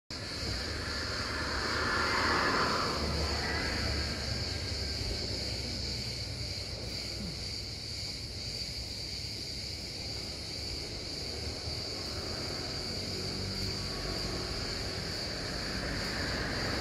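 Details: Cicada singing outdoors, a steady unbroken high buzz holding one pitch throughout, with fainter overtones above, over low wind rumble and a distant motor-like drone.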